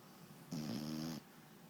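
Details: Napping one-year-old foxhound gives a single buzzy, rattling snore lasting under a second, with a hissy breathy edge, in a quiet room.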